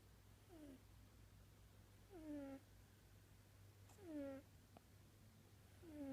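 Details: Snoring domestic cat: short squeaky tonal notes that slide downward, recurring about every two seconds with breathing rhythm, over a steady low hum.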